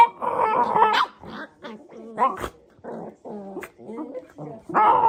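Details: Pet Shiba Inu producing an odd string of grumbling growls and short, throaty barks, choppy and uneven, with a louder whining burst at the start and end; speech may be mixed in.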